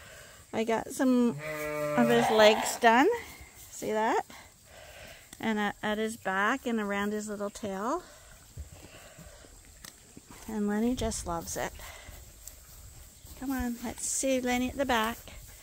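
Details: Sheep at Ewetopia Farms, a large registered Suffolk and Poll Dorset flock, on a quiet day spent with the rams Gladiator and Leonard; wavering, harmonic bleats come in short bursts, several close together, with quiet pauses between calls.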